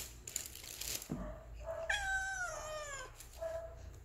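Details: Hungry Persian kitten giving a long, falling meow of about a second, followed by a shorter softer meow, with handling noises and rustling before it in a small indoor room.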